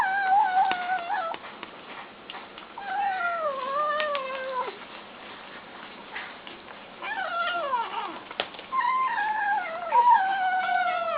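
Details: ['Kittens eating and calling. Falling, whining meows come one after another, some long and bending, with soft clicks and rustles between them.']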